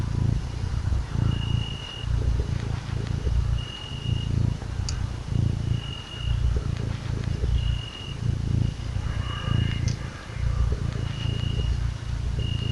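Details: Small pet kitten enjoying being cuddled, purring in a low continuous rumble that rises and falls with each breath, roughly every second or two; a thin high-pitched tone sounds intermittently behind it.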